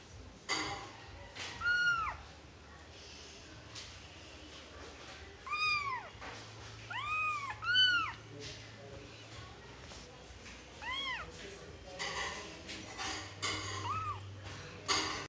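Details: Two orange tabby kitten brothers meow for attention with high, thin meows that rise and fall in arches, a few at a time with short pauses.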